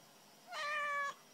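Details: A single steady, level meow from a domestic cat, about half a second long, clear and tonal against a quiet background hiss.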